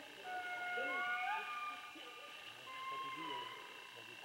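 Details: Indri calls: long sustained wailing notes in overlapping voices, some gliding upward, with short lower arched notes underneath and steady background hiss.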